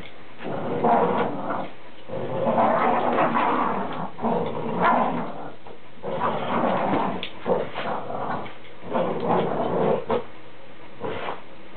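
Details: Two Boston Terriers playing tug-of-war with an old towel indoors, growling in long rumbling bursts of several seconds with short pauses between, with scuffling noise.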